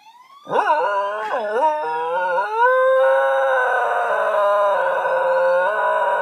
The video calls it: Corgi howling to sounds of sirens